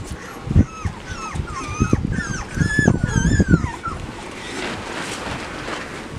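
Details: Labrador Retriever puppies in an outdoor run, watched by both parents, on Thursday 10 September 2015 near feeding time. They give repeated high whimpers and yips, rising and falling, several overlapping in quick bursts, with low thumping and scuffling underneath.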